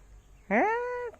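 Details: Cat during a fight, giving a single loud drawn-out meow lasting about half a second, rising then held steady, with a person speaking nearby.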